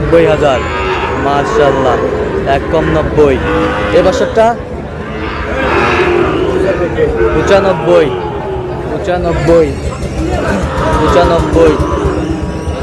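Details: Several moos from Sahiwal bull calves at a cattle market in Chittagong ring out over a murmuring crowd and a man's voice. The lowing calls are wavering and harmonic, repeated in bursts across the recording.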